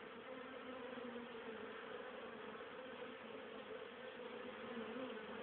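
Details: Colony of honey bees busy on 10 October 2010, foraging pollen and nectar for their winter stores; continuous thick swarm buzz, even and unbroken, with a low droning band and fluctuating overtones.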